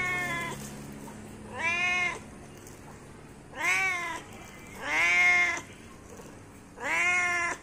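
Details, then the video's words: Domestic cat meowing to call its companions: four clear, harmonic-rich meows about a second apart in groups, each rising then falling, with short quiet gaps between and faint background hum. "Suara kucing lucu memanggil temannya"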